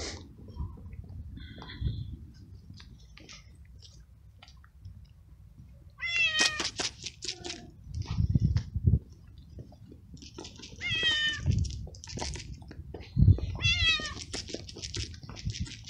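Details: Young male stray cat, homeless street kitten, fed fresh food and treats; quiet chewing and clicks for six seconds, then three bright, rising-then-falling meows at intervals of a few seconds, with thumps and rustles between.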